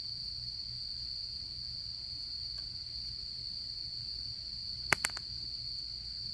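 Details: Steady high insect trilling on an autumn night by a campfire, unbroken throughout, with a quick double crack of burning wood near the end.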